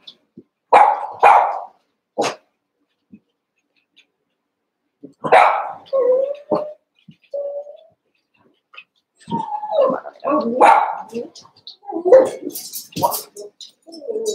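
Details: ['Playful yips and barks from Cavalier King Charles Spaniel puppies wrestling in a pen, eight puppies together, some about seven weeks old; scattered short bursts with pauses, busier toward the end.']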